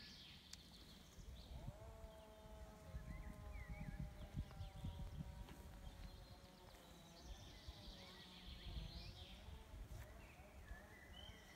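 A European bison calf gives long, drawn-out, slightly falling bleats over low rumbling noise.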